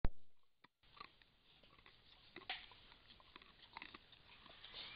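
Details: A white-lipped peccary, filmed by a camera trap in Brazil, crunches and munches fruit of the buriti palm (Mauritia flexuosa), with sharp irregular clicks and soft sniffs as it checks out the camera.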